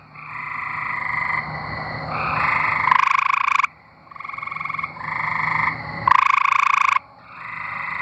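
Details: Several Arkansas tree frogs calling together: long nasal pulsed trills overlap continuously, broken twice by a louder, harsher buzzing burst, about three seconds apart.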